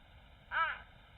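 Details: Jaguar making an even softer sound to communicate with its babies, a small voice likened to a meow or a duck: a single brief nasal call with stacked harmonics, rising then falling, over quiet background hiss.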